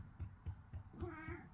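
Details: A pet cat indoors gives one short, soft meow, a brief tonal cry that bends slightly, set over a steady run of dull low thumps repeating about four times a second, with quiet voices nearby.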